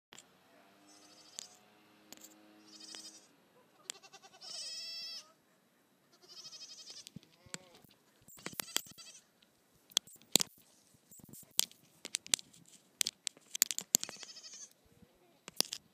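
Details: Nigerian Dwarf goat kid Chip, playing on a hill with Melvin, gives several high, wavering harmonic bleats in the first seven seconds, followed by scattered sharp clicks and knocks.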